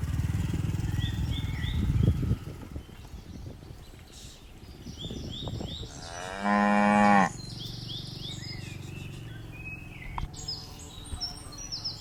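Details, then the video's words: Moo from a herd of dozens of tame cattle jumping down a mountain slope. After a stretch of rumbling noise and scattered knocks, a single loud moo lasts about a second. Soft bird chirps follow. "Suara lucu sapi moo"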